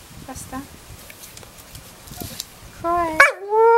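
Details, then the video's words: Crying on cue, Buster the Staffordshire Bull Terrier starts with soft background sounds, then gives a steady high whine, a sharp break, and a long falling moaning cry at the end. "Buster Staffy x Learning to cry on cue"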